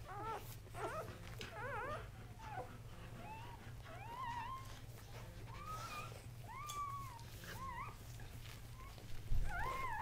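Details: Three newborn Casablanca Kuvasz pups, all male, born October 30, 2008, let out scattered arched squeaks and short wavering whines, a few at a time with gaps between. A strong low rumble and hum run throughout, with a thump near the end.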